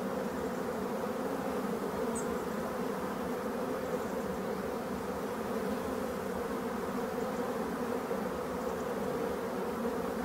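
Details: Black bees in an abandoned hive under restoration make a dense, continuous low hum that stays even and unbroken for about ten seconds.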